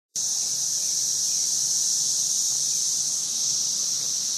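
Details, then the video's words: Cicadas recorded in 2011: a steady, shrill, high-pitched buzzing drone that starts abruptly and holds unbroken at an even loudness throughout. "Cicadas 2011"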